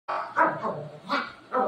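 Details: Pet dog at home, described as angry at its owner, giving three loud, harmonic barking yelps spaced about half a second apart, each with a rough, whining tone.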